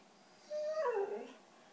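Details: Begging for cheese doodles, a white female Siberian Husky 'talks' with a single short whine that holds level then slides downward, soft and brief, in a quiet room.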